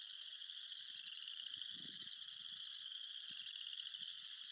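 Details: On an early spring morning during mating season, a dense frog chorus makes a steady, high, unbroken trilling drone over a few close, low, soft thumps and rustles. It was recorded at a beaver pond on the Moss Lake Trail, Elk Island National Park, Alberta.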